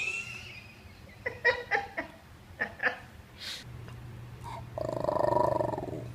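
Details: Graham and Ginger, two Basenjis, talking indoors in 2014: a run of short, harmonic yelping syllables in quick succession, then a longer drawn-out warbling vocalization near the end, with human voices close by.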